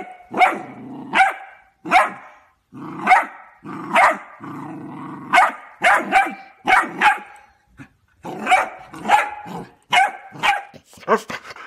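A Cocker Spaniel barks in sharp repeated bursts, with low growls rumbling between the barks.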